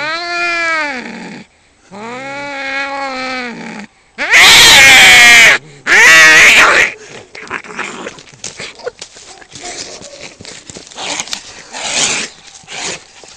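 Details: Two male cats fighting over territory just outside a home: long wavering harmonic yowls rising and falling, then loud harsh screeching bursts around four to six seconds, followed by scuffling, hissing noise and scattered cries.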